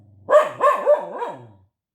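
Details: A dog protesting and talking: one sustained harmonic vocalization with wavering, rising-and-falling pitch, a yodel-like howl about one and a half seconds long, no other sounds.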